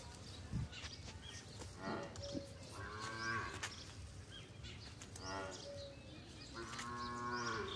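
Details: Desi cow being cleaned, giving soft, drawn-out moos with a tonal, layered voice, one around the middle and longer ones near the end, over a low background hum with a man speaking nearby.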